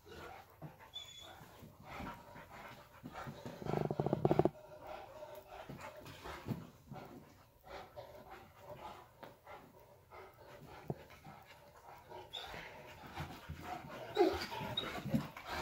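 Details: Saint Bernard together with a puppy indoors: steady rhythmic panting, breathy bursts repeating through the clip, louder huffs around four and fourteen seconds, a brief high whine near the start, soft shuffling between breaths.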